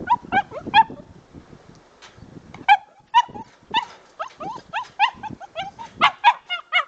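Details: Dog during its first squirrel hunt, part of drive building: bursts of high, harmonic yelping barks that come in quick clusters, with short pauses between, then a faster run of rising-and-falling yips toward the end.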